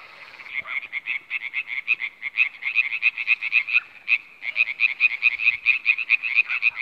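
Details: Iberian tree frog (Hyla molleri), recorded in 2017, producing a quick series of short, nasal, rattling notes, roughly three per second, pausing briefly midway and then resuming at the same rapid pace.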